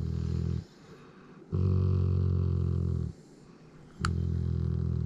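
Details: Pet Malamute Griz gives a low purring rumble indoors. Two long, deep, steady bursts of about a second and a half are split by a quiet pause, with a brief click near the end.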